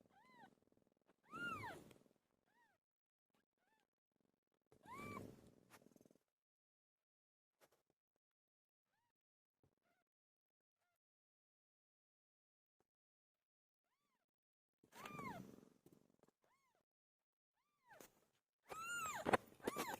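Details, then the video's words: Pilo, a pet cat, calls while giving birth; four drawn-out arched meows come in pairs, one pair early and one late, separated by a long quiet stretch. "My favorite cat "PILO" gave birth"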